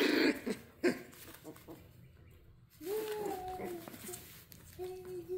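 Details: Dachshunds playing; after a few sharp huffs and thumps, a steady, slightly falling whining tone of about a second, then a shorter whine of similar pitch, over soft indoor room noise.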